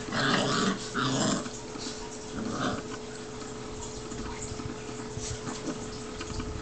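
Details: Two seven-week-old Newfoundland puppy brothers wrestling in play, producing rough, noisy growls in bursts during the first second and a half, then quieter scuffling growls and yips continuing with a faint steady hum throughout.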